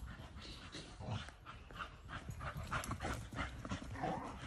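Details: A Staffordshire Bull Terrier on a walk in the woods pants and snuffles in quick, breathy bursts, several each second.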